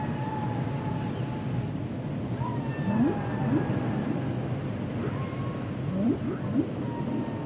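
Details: Humpback whales singing: a long thin whistle-like tone, then brief sharp upsweeps in pairs and short wavering higher notes, all over a dense, steady low underwater rumble.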